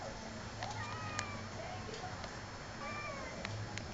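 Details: Pet cat named Pluto meowing indoors: two soft, drawn-out meows rising then falling, with faint ticking clicks and a low hum behind, followed by a woman speaking Tagalog to the cat.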